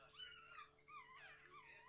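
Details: Dog, possibly a young one, giving a high, wavering, wail-like howl in two or three sliding tones that rise and fall over under two seconds; low background hum throughout.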